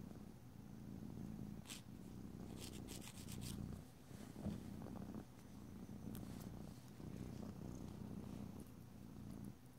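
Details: Domestic cat purring steadily indoors while its nails are filed; a continuous low rumbling purr in breathing cycles, with a few brief scraping strokes of filing near the start and middle.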